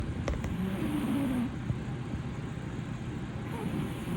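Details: Haruhi, a blue British Shorthair male cat, snoring loudly on a sofa: a rough, low rumbling breath noise that fills the first second and a half, then eases to a quieter steady drone.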